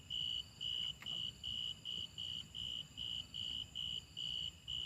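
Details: Grasshopper calling with bright, shrill tonal pulses repeated about twice a second in a regular rhythm, a faint click near the first second, low background hum underneath.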